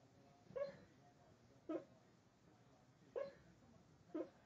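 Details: Sleeping dog Wyatt, who barks only while asleep, gives four quiet, muffled, clipped woofs spaced roughly a second apart, each a short puffed burst over a hushed indoor background.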